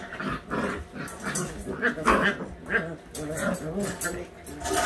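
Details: Week-eight white Husky puppies at play, trading throaty growls and whiny grumbles in uneven bursts, mixed with human speech nearby and scuffling sounds.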